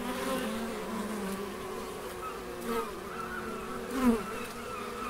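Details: Bees in the Biblical Gardens at Elgin, Moray, Scotland, giving a steady, low, droning buzz with layered overtones. The hum swells briefly as a bee passes close, near the end.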